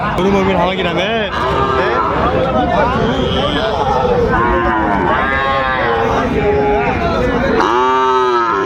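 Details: At Raniganj market, Dinajpur, on 30 May 2024, Sahiwal bull calves give several rising-and-falling lowing moos, roughly every two seconds, with men's voices and crowd noise around them.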